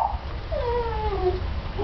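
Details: Mastiff puppies at play indoors give a drawn-out, wavering whine that slides down and up in pitch over about a second, with faint low background rumble.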